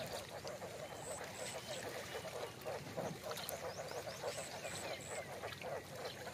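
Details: A male frog on a frog farm in Đồng Tháp, in the Mekong Delta, gives deep, throaty croaks. The call helps tell males from females when choosing breeding stock. The croaks repeat rapidly and overlap like a small chorus.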